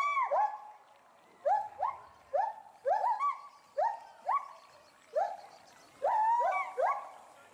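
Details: Loud, excited calls from a male and female agile gibbon in a Bristol, UK zoo, set off by something unseen in the bulrushes below. Quick upward-swooping hoots arrive in pairs and short bursts, with the two animals often overlapping.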